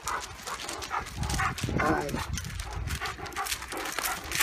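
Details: German Shepherd and Great Dane locked in a fight: rough, noisy snarling and growling bursts come in quick succession amid scuffling, with human voices mixed in throughout.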